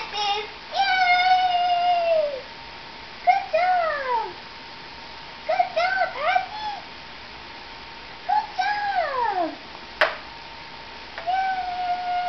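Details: Newborn Nubian goat twins, three females and a male, born January 29, 2010, separated from their mothers and still learning to walk before a snowstorm. About six drawn-out, wavering bleats falling in pitch, some overlapping, with occasional soft human talk indoors.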